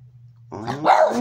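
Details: Sixteen-year-old Boston terrier with very poor sight, playing with a toy hamburger indoors; one brief harsh growl rising into a bark, following a low hum.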